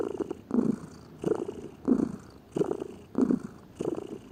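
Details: Pet domestic cat lazily purring, soft low vibrating pulses in a steady breathing rhythm, around six to seven cycles, each roughly two-thirds of a second apart, in a quiet setting.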